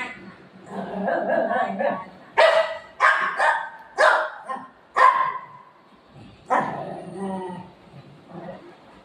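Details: Golden Retriever at play with its owner, giving a low grumbling growl at first, then a spaced series of loud, abrupt barks about once a second, ending with a softer whine and human voice underneath.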